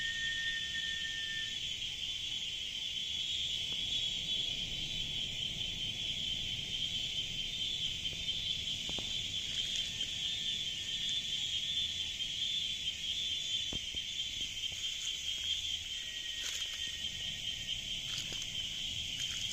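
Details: Cicadas in the jungle in continuous nonstop chorus: a dense, steady high buzzing band that never pauses, with faint clicks and brief scratchy pulses scattered through, low rumble underneath.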